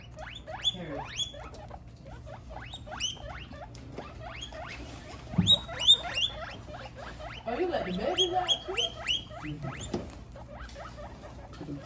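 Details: Guinea pigs squealing loudly in long runs of sharp, high upward-sweeping whistles, several animals overlapping, with a brief thump and a noisy rustling stretch midway, over a steady low hum.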